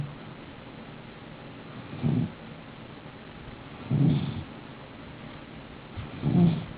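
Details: A pet snoring: soft, low rumbling breaths about every two seconds, each rising briefly above a steady background hiss.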